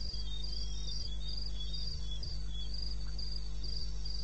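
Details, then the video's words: Crickets calling in the wilderness of eastern Botswana, recorded 21 May 2016 at 2:30 AM: high, shimmering pulsed trills in short bursts, repeated steadily and overlapping, over a constant low hum. "1 Hour cricket sound"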